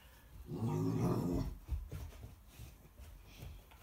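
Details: American Akita puppy confronting a pig: one deep, harmonic, rumbling growl lasting about a second near the start, then quieter shuffling sounds indoors.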